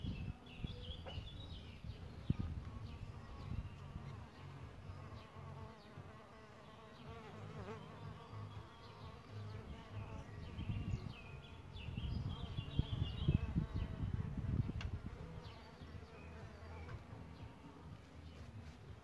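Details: Solitary bees coming and going at a bug hotel where they nest, their low buzzing rising and falling continuously, loudest in the middle stretch, with scattered bird chirps faint in the background.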